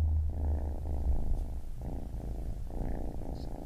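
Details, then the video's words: Low continuous rumbling purr of a baby kitten, strongest at the start, with short pauses between breaths at roughly one-and-a-half-second intervals. "Baby Kitten Purring"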